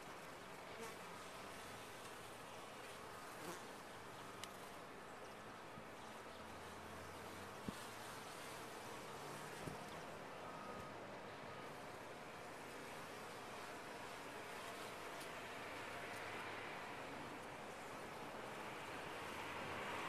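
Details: Bees humming in a top-bar hive: a continuous dense drone with a few faint ticks and clicks, growing slightly louder toward the end.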